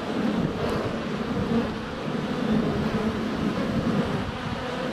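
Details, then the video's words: Honey bees in flight at a hive entrance on a sunny February day, filmed under a foot away on a GoPro Hero 7 Black; steady low droning buzz with brief higher whines as bees pass, over a windy rushing background. "4K Honey Bees - ambient video and audio"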